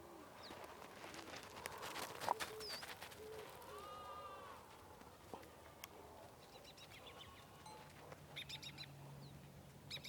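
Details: Sheep on a farm in the morning: one drawn-out, wavering bleat in the middle, set against clattering hoof or footstep knocks early on and scattered bird chirps near the end.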